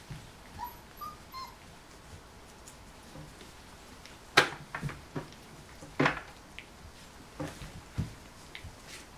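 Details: Golden Retriever puppies, 27 days old, indoors in a small room: faint high tonal whines near the start, then scattered clicks, knocks and scuffling thumps with soft short squeaks as the litter moves about.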